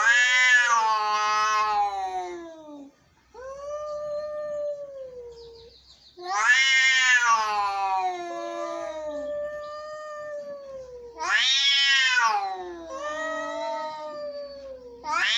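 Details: Angry cats meowing in long, strained yowls: loud harsh bursts that slide downward, alternating with steadier, lower moaning wails, repeating several times over the recording.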